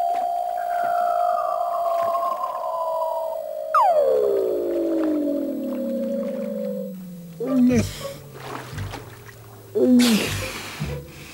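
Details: Seals singing under Antarctic ice, a mother's voice lost among other seals while her pup is coaxed into the water: long gliding whistles, one steady then a sharp drop into a slow falling sweep, then short bursts and splashy pulses.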